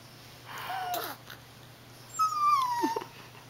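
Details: Small pet dog indoors, upset after a baby took its treat; two thin whines, the first short, the second a longer falling whistled cry sliding downward, with soft household hum behind.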